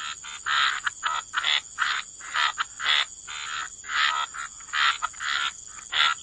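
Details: Waterside frogs croaking in quick raspy pulses, clustered bursts repeating several times a second with short pauses, mid-pitched and harsh, over a faint constant high insect buzz.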